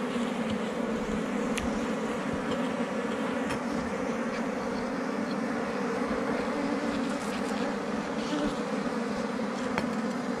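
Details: Continuous humming of a large mass of honey bees at a forest hive under rocks during honey hunting, an even buzzing drone punctuated by occasional light clicks.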